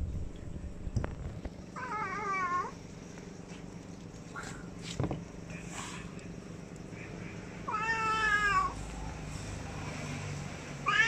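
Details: A cat calls three times over eleven seconds, wavering drawn-out meows separated by pauses filled with faint taps, clicks and low room noise.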